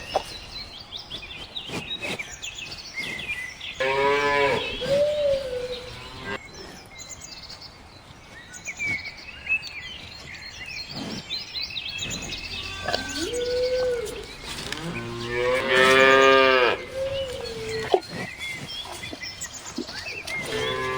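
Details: Cow mooing twice, about ten seconds apart, each a long, harmonic bellow that tails off into a lower, bending note, with bird chirps and rustling background noise between calls.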